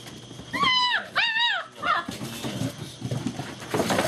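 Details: German Shepherd puppies from Vom Barron's Pride getting frisky and playing together indoors, recorded 2-5-2012: two drawn-out, arching high whines in quick succession, then a short yelp, followed by softer scuffling and rustling.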